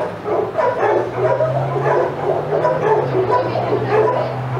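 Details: Outside yard at Old Friends Senior Dog Sanctuary: excited old dogs yap and bark in quick repeated bursts while Titus passes, a low steady drone running underneath.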